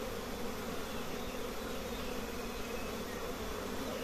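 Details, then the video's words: Honey bees at a simple nest with many colonies, a steady dense buzzing hum held low and unbroken throughout. "Honey bee nests are simple but there are many colonies"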